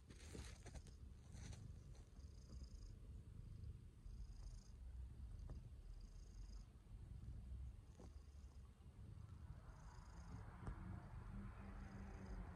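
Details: Affectionate domestic cat purring continuously, a low rhythmic rumble with soft pulsing, some brief clicks and rustles and a faint higher hiss near the end.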